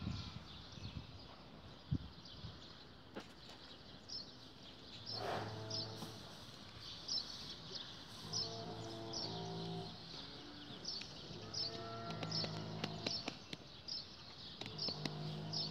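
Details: Damietta cattle at the Sirw Animal Production Research Station, Faraskur, Damietta, Egypt, on Sunday 16 April 2017. Low, droning moos come in several drawn-out bouts. Steady, regular bird chirps sound above them, with scattered clicks.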